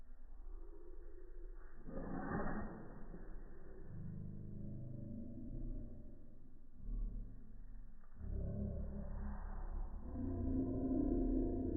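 Two stretched sneezes from a dachshund come as low, rumbling bursts of breath, each swelling and fading over a couple of seconds. Slowing the sound drops its pitch into a deep, growling hiss.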